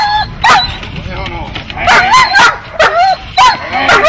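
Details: Dog barking during protection training, with short sharp barks and yelps at irregular intervals, several overlapping, voices in the background.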